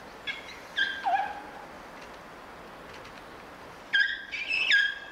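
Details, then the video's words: Playing in snow at Prague Zoo, a pair of elephant calves lets out high harmonic squeaks: one bent, falling squeak early on, then a rapid cluster of bright, wavering squeaks near the end, with quiet outdoor hiss between them. "Elephant Babies squeak as they play and even slip on the snow"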